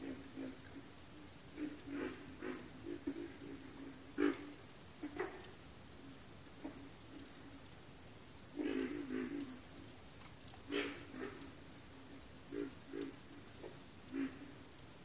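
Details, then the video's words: Frog chorus from backwater, many low grunting croaks scattered through the clip, some in quick runs, a heavier cluster midway, all over a continuous shrill high tone that throbs about twice a second. "FROGS - Pig Frogs, Water Frogs, Backwater Chorus, & Frog Chorus"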